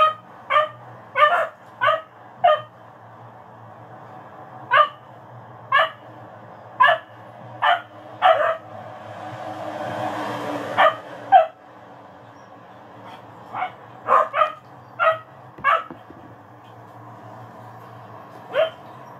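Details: Dogs barking, sharp single barks and short doubled barks at irregular intervals, about twenty in all, over a steady low hum, with a brief hiss of noise near the middle.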